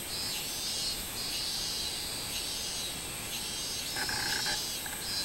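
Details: Minmin cicada on 24 July 2016, giving high, wavering buzzy pulses over a constant shrill drone, with a short lower chirping sound appearing near the end.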